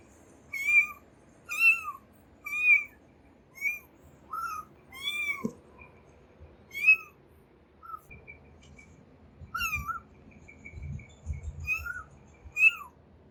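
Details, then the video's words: Kitten crying as it searches for its mother: about a dozen high, harmonic meows, each brief and slightly bending in pitch, repeated irregularly roughly once a second, with a soft low rumble underneath toward the end. "kitten crying for mom"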